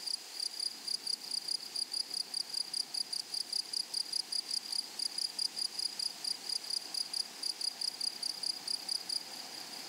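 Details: Grasshoppers of a flower-filled prairie give a continuous train of high, thin, clipped chirps at about three to four per second, very even in pace and loudness, over a low soft hiss.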